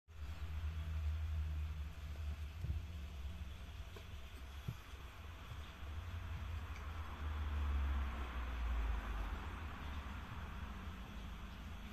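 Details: Low rumbling traffic and vehicle noise fills the whole stretch outdoors, with no animal voice audible.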